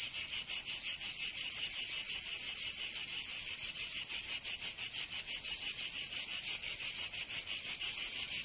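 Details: Provençal cicadas in summer, southern France, producing a harsh, sizzling high buzz that throbs in even rapid beats near three per second, with no pause over the whole stretch.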